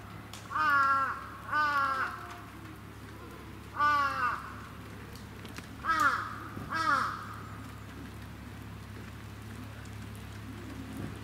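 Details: Young goat kids at a farm on the Bandai Plateau in Japan, being petted by visitors: five wavering, nasal bleats at irregular intervals over a steady low hum.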